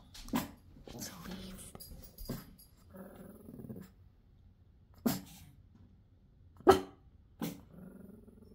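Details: Pekingese dog making low, grumbling growl-like noises in short bursts indoors, amid a woman's soft talking and a few sharp knocks.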